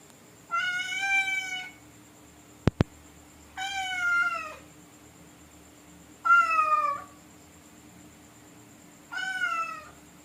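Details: Wild cat sniffing at a toilet, giving four drawn-out harmonic meows roughly every three seconds, each wavering then falling slightly, with two sharp clicks between the first and second calls and a steady faint hum behind.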